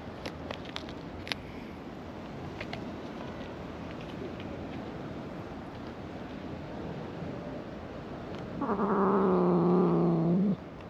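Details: An angry brown-and-white cat on a cat island, walking while grumbling and then biting a hand as it is petted; a low, steady two-toned growl swells near the end and lasts about two seconds, over faint background hiss and scattered clicks.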